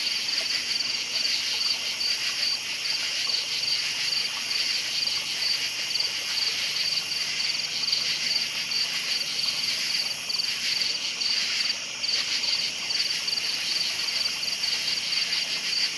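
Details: Crickets at night fill the air with a continuous, high, shimmering chorus. Faint regular chirps show through the dense buzz of many callers, and there is a brief dip near the end.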